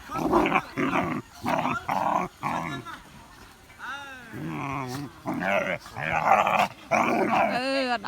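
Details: Dogs excited and confused by a flying drone let out bursts of loud, rough barking. The barking breaks off midway while a human voice talks, then resumes in dense volleys.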